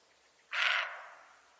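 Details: A deer without horns gives one short, harsh, bark-like call lasting under half a second. It trails off in a fading tail against an otherwise quiet background.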